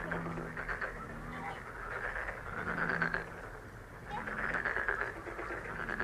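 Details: Frogs calling: rapid pulsed, rattling croaks in overlapping bursts of a second or two, rising and fading, with a steady low hum underneath.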